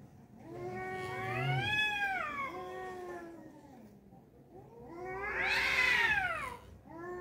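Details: Two angry male cats squaring off in a fight. Long bending yowls swell and fade, and a louder, harsher, higher wail peaks near the end before a short final cry.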